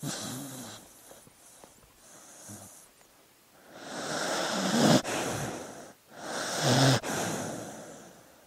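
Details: A dog asleep, breathing with soft snores: hissing, airy inhalations that swell and fade about every two seconds, two of them ending in a brief low rattling snore.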